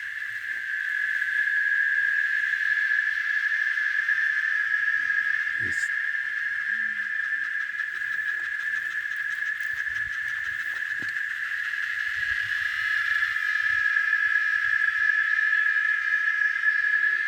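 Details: Cicada singing in the countryside at Varginha, Minas Gerais, Brazil: a continuous, steady, shrill buzzing drone that holds without pause, with a man's voice briefly at the start and faint low rural background sounds.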